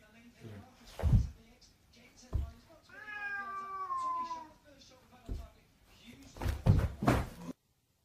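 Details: A cat gives one long, drawn-out meow lasting nearly two seconds. It is harmonic and slowly falls in pitch, surrounded by knocks, thumps and human voices speaking.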